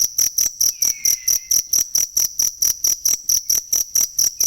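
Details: Cricket chirps for training songbirds: bright, high pulses repeating evenly about twice a second, with one faint falling whistle sliding behind them early on.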